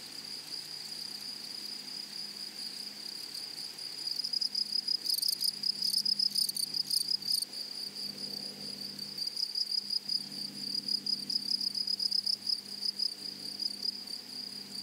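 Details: Grasshoppers in a flowery meadow: a steady high hiss holds throughout, and from about four seconds on, rapid buzzy rasping bursts break in, clustered around five and seven seconds, then returning in irregular runs to the end.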